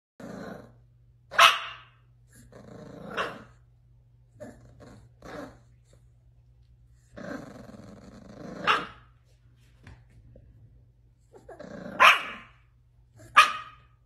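A Bull Terrier puppy gives sharp, high barks broken by low growly grumbles.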